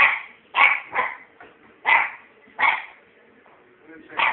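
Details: Scampi Fry, a puppy, barks on bonfire night: loud clipped yaps coming roughly every half second to second, six or seven in quick succession.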